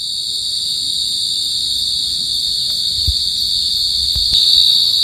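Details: Pacific field cricket, Teleogryllus oceanicus: a steady, loud high-pitched trill held without a break through the whole recording, with a few faint low knocks and thumps beneath it.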